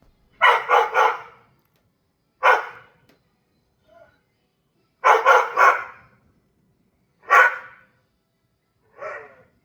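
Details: Mishka, a dog outdoors, barking at a bird or squirrel outside: loud harsh barks in quick bursts of two or three, then single barks, irregular, with quiet gaps between.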